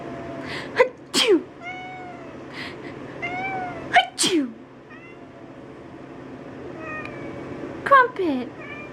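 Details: Calico cat, two years old, howling in protest at sneezing: wavering, falling meows come after each burst of loud human fake sneezes, with a person talking to the cat.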